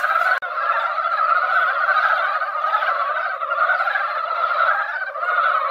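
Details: Many mountain frogs calling together at a hillside pond after a rain that barely wet the ground; massed croaking forms a continuous, churning wall of sound, with one brief click near the start.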